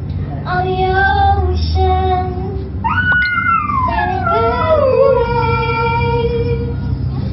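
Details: A Siberian Husky sings along to the song "Fight Song," howling in drawn-out, tuneful wails that slide up and then fall away in long glides.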